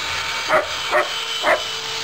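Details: Three abrupt barks from a German Shepherd in rough play, the first two close together and the third after a short gap, heard over continuous noisy hiss.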